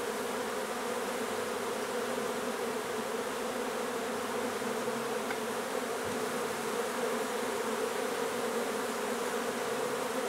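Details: Dense, even humming of a honey bee hive during removal from an old renovated house in Donna, Texas. The low drone holds unbroken for the whole stretch over a hissy background.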